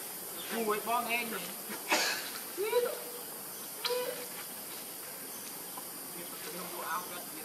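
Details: Hungry baby monkey named Leo missing his mother and begging for milk: arched, whining cries rise and fall in several separate bursts, with a constant background hiss.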